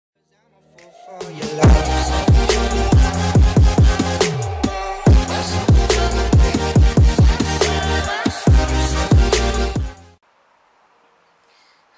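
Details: Punchy electronic drum-and-bass music with heavy beats plays for about nine seconds, then drops to near silence, and no animal sounds are heard.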